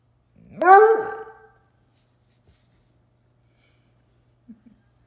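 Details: A Bluetick Coonhound gives one loud, ringing, harmonic bay about a second long that starts high and slides slightly downward, followed by near silence with a few faint soft clicks.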